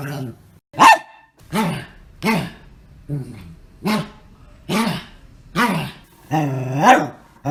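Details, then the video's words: Pet dogs making weird noises: a series of about eight short, arched, harmonic yowling calls, each rising then falling, spaced roughly every 0.8 seconds in a quiet room. "My Dogs' Weird Noises"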